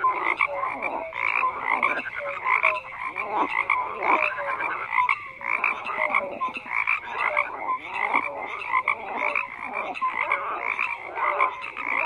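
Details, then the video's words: Frogs croaking in a dense overlapping chorus, many callers at once producing repeated short nasal croaks and pulsed notes, with bright bands of sound layered through the middle and upper pitches and no pauses across the whole stretch. "FROGS CROAKING"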